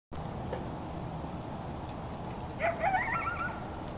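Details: Coyote yipping at night a short distance from a balcony, with the pitter-patter of rain; after a long stretch of steady rain hiss, a brief burst of high wavering yips with rising and falling whines near the end.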